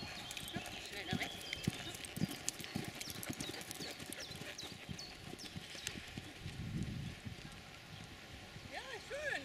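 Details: Five-year-old Mangalarga Marchador gelding under saddle at a gaited horse meeting at Waldhof Ollsen, 6 July 2014, moving in Marcha Batida, a diagonal four-beat gait without suspension; irregular, fast hoof thuds on ground, with birds chirping and brief distant voices.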